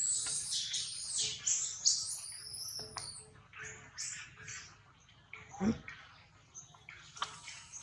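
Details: Baby monkey Rex being weaned off milk by its mother Rose, giving thin, high-pitched squealing cries in quick uneven bursts, some arching up and down, over a low steady hum, with a dull thump near the end.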